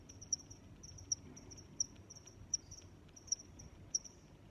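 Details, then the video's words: Steady high cricket chirps, sharp bright pulses arriving about every three quarters of a second above a faint continuous trilling, against soft low background rumble. "Sounds of Crickets"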